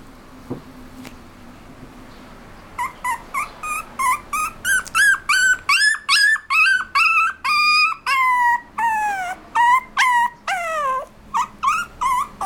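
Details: Apricot-coloured puppy, a toy poodle and miniature dachshund mix; a rapid series of high, whistled whines and yelps, many bending upward or downward in pitch, coming about two to three per second after a quiet start.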